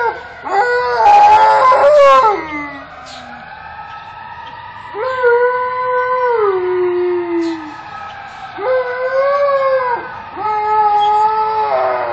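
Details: An Alaskan Malamute howls over passing fire trucks. A rough, wavering opening howl dips low, then come three clear, arched howls of similar shape, each a few seconds long with short gaps.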